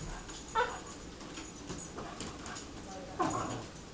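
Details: Pepper, a pet dog described as always quiet and never barking, barks at her owner's brother for the first time: two short, sharp yelping barks about two and a half seconds apart over a faint indoor background hum.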